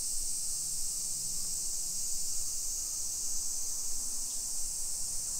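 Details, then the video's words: Steady, uninterrupted buzz of summer cicadas fills a modern residential street in Nisshin, Aichi Prefecture, Japan, 28 July 2021 around 1 PM; faint low hum from the neighbourhood sits underneath. "Summer Cicadas Sounds"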